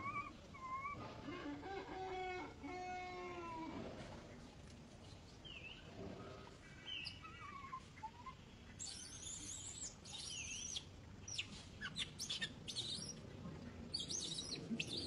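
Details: Young female monkey refusing to be caught, screaming as she clings to an old monkey; drawn-out harmonic wailing screams over the first four seconds, a few shorter falling cries after, then scattered high clicks and rustling noise.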